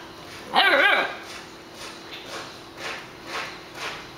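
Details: Great Dane puppy, a young female living with a family of papillons, gives one loud harmonic yelping bark lasting half a second, followed by a few fainter short sounds spaced about half a second apart and people speaking.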